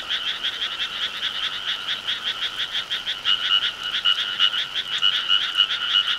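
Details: Summer countryside frog chorus: many frogs croaking together in quick, regular rasping pulses that carry on without pause, slightly louder toward the end.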